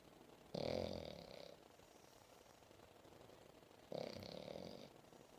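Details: Momo, a seven-month-old female English Bulldog, snoring while asleep on a lap after playing: two long, rasping, buzzy breaths about three seconds apart, each lasting roughly a second, with quiet pauses between.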